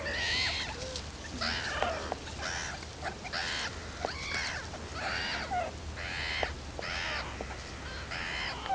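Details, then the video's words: Meerkat babies exploring beyond the burrow for the very first time with loud, harsh, raspy bursts repeated about every half second to second. Faint squeaks sit between the bursts, over a low hum. "BABY MEERKAT SOUNDS"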